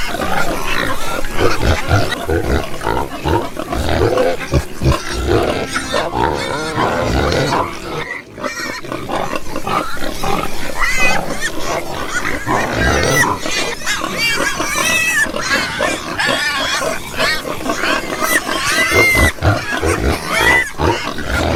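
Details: Pigs grunting and squealing at length. Low, rough grunts dominate, broken by occasional shrill squeaks, with a brief lull near the middle before the busy, loud din resumes.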